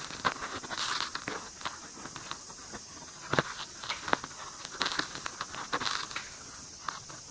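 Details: Pairing white-spotted longhorn beetles give scattered sharp clicks and brief raspy scratches, some in small clusters, heard very close over faint steady hiss.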